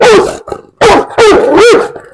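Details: Large dog barking loudly in three deep, harsh barks with a short whine-like tail, separated by brief pauses.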